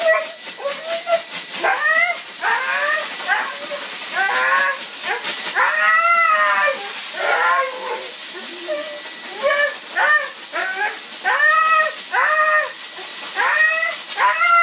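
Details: Siberian Husky protesting while being blow dried after a bath: repeated arching, wavering howl-whines, each about a second long, coming in quick succession over a steady loud hiss of the dryer.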